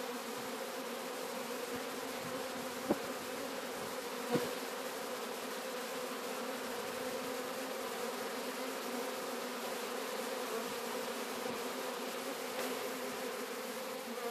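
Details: Capture of a swarm of Sicilian honey bees at Sciacca; thick, even buzzing of many bees, a steady low hum with stacked overtones, a few faint knocks or taps.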